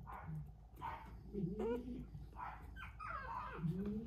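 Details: Maltese puppy giving soft, short whimpering whines with rising and falling tones, several in quick succession, with quiet murmuring in the background.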